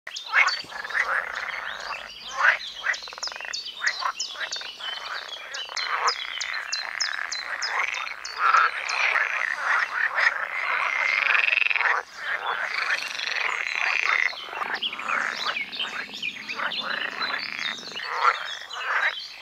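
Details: Pool frogs (Pelophylax lessonae) in a large mating chorus at ditches and ponds on a sunny day, males calling to attract females in late spring, give overlapping rattling, purring croaks in a steady busy stream.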